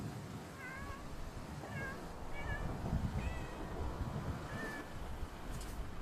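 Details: Stray community cat meowing outdoors: five or six short, thin mews spaced about a second apart, each with a slight rising-falling bend, over steady low rumbling traffic noise.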